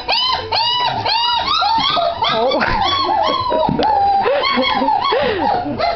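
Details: Great Dane puppies recorded on 27 January 2009, indoors, whimpering and whining in a steady stream of high, arched, overlapping cries that rise and fall, several pups calling at once with little pause.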